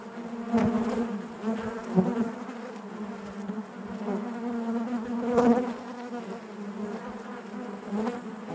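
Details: A crowded honey bee hive hums steadily, its low drone thickening and fading in waves, with louder buzzes of individual bees passing close, most clearly around half a second and again near five and a half seconds.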